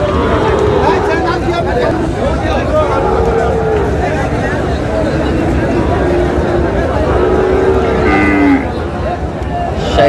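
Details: Sahiwal bull calves at the Raniganj cattle market on 29 June, after stormy rain. Several short mooing calls are partly buried under dense crowd chatter and background hubbub.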